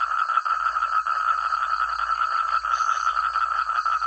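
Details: Countryside paddy frogs in full chorus, numerous overlapping callers producing a continuous loud stream of short pulsed croaks, a high faint whine steady in the background throughout.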